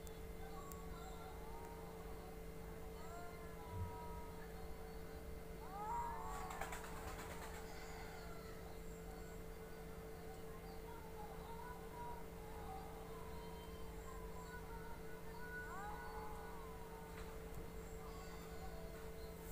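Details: Domestic cats in a fight let out short bursts of curving, moaning yowls separated by quieter stretches, with a persistent mechanical hum and brief rustling noise.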